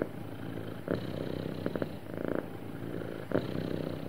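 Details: Low, even purring from a happy cat, a steady vibrating hum broken by a few brief brighter swells as breaths shift, with no other sounds.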